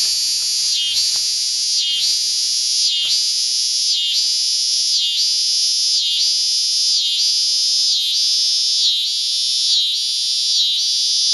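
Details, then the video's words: Cicada calling at Lionsgate, early September 2009, painfully loud: a harsh shrill buzz pulses in regular surges about once per second, each swell dipping briefly before rising again, continuing the whole time. "Cicada at Lionsgate"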